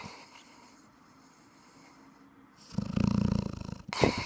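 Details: Sleeping Thai Ridgeback in a quiet room, soft breathing at first, then one deep rattling snore about a second long, followed by a brief sharp snort-like burst.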